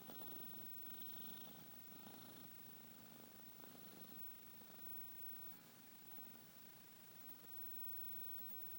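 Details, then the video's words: Domestic cat asleep and snoring gently, a low purring rumble with irregular breath pulses and a soft hiss in the background. "Snoring kitty"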